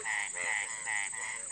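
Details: After the first rain of the season, breeding Indian frogs call from puddles near a house: bright, buzzy, harmonic bursts come in quick succession, about four in under two seconds, with a steady high hiss behind.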